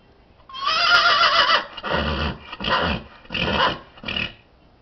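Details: Horse calling out in greeting, a loud whinny opening with a high wavering tone, then dropping into four shorter, lower, rougher pulses with breathy rumbling between them, indoors.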